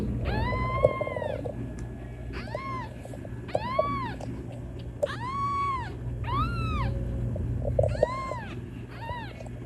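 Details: Kitten meowing to call its mother: a run of about ten loud, arched, harmonic meows, each rising then falling, spaced roughly a second apart, over a steady low background hum.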